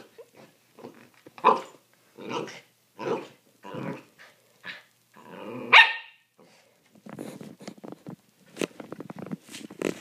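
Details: Two puppies, Holly and Sophie, rough-housing indoors on a Friday night, Holly pounding on the couch; short gruff barks and growls roughly every second, one loud yelp, then rapid snapping and scuffling.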